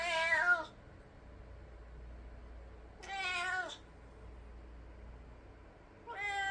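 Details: House cat inside, agitated after stray cats were heard fighting outdoors, meows three times roughly every three seconds, each call bright and wavering then falling; low room hum underneath.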